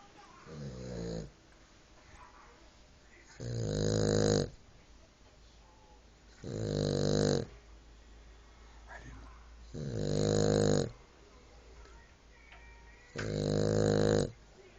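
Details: Cavalier King Charles Spaniel snoring while asleep: five loud, rasping, rumbling snores, each about a second long, coming roughly every three seconds, with quiet breathing between them.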